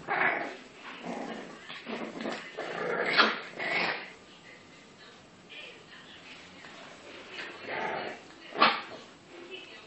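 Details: Two English bulldog puppies playing together: bursts of short yips and gruff grunting vocalisations, a sharp bark-like yelp near the end, with quieter pauses between the bouts.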